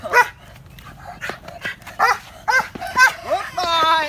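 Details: Dog in bite-and-excitement training barking in short, harmonic bursts, spaced irregularly, ending with a higher, drawn-out whining yelp; human speech heard alongside.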